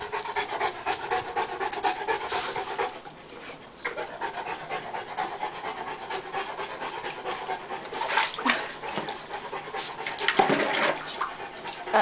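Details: Puppies Koda and Charlie on a play date; rapid, breathy panting runs as a steady stream of short noisy bursts through most of the stretch, with a few brief louder scuffling sounds near the end.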